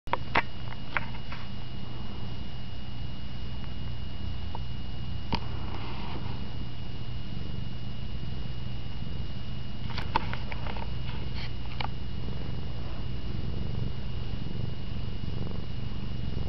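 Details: Cat cuddling with a teddy bear and sleeping on a bed; a soft, low rumbling purr continues throughout, broken by a few short clicks and rustles.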